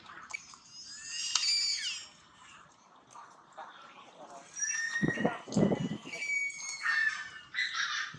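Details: Polino, a baby monkey bitten by Maria, cries in pain with drawn-out, high, wavering screams in two bursts, separated by a brief quieter gap and mixed with some background noise.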